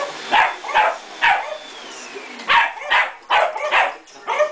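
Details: A terrier that hates the vacuum cleaner barks in short bursts at a house cleaning. A whining machine tone slides downward in pitch between the barks.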